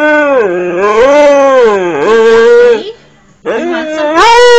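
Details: Pet dog named Max howling indoors in a small room: long, sustained, wavering tones that rise and dip for about three seconds, a brief pause, then a second rising howl.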